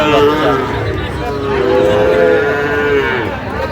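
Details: Sahiwal bull calves being bought by Dhaka farmers at the Aftabganj cattle market, Bangladesh, 16 August 2025. A brief low moo opens, then a longer, even moo follows amid loud market talk and haggling.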